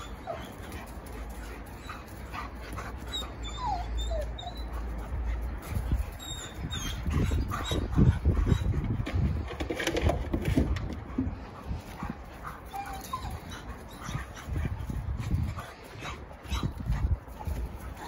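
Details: German Shepherd puppy playing with an adult German Shepherd: low rumbling scuffles and growl-like bursts that swell midway, with a few brief high whimpers and faint high chirps in the background.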